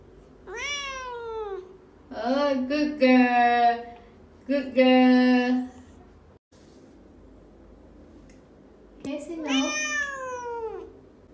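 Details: Mo, a female talking pet cat whose learned behaviour is answering 'no', trades several meows with a person indoors: a falling meow, then lower human 'no' words, then a final rising-and-falling meow after a quiet gap.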